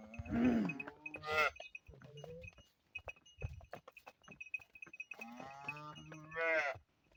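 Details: Cholistani Jersey cross cow mooing. Two drawn-out, harmonic-rich moos, one at the start and one near the end, each rising then falling. Quieter clatter and a steady thin high tone run between them.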